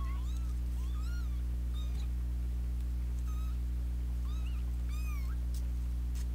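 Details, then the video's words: Young kittens that have been fighting since their second day, with an older sister joining in; thin rising and falling mews repeated several times a second over a loud steady electrical hum. "Kitten fight"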